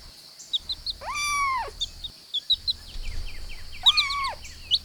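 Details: Playful kittens outdoors on grass with pine cones give two arched, rising-then-falling mews a few seconds apart, while wild birds chirp steadily in the background.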